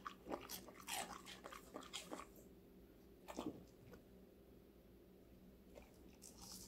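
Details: Indoors, a five-month-old female Golden Retriever crunches on various vegetables: a quick run of crisp bites in the first two seconds, a single loud crunch near three seconds, then mostly quiet with faint hum.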